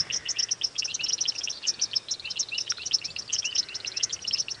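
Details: Frogs at a water hole on a February 2017 evening safari drive around 5:30 pm give a dense, quick, high chirping chorus, described as contact calls after alarm calling, while a young leopard stalks nearby.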